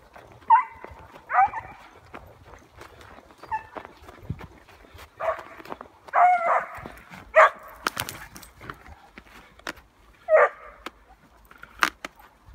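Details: Male Finnish Spitz barking in its hare-hunting style while chasing a brown hare outdoors, somewhat distant: single sharp yelping barks spaced irregularly, one to three seconds apart, about seven in total, against quiet rural background.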